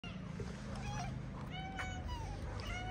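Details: Stray cats on a street in Morocco, a ginger female and her friend, playing: several faint, short meows with bright overtones that slide downward, over a steady low rumble of street noise.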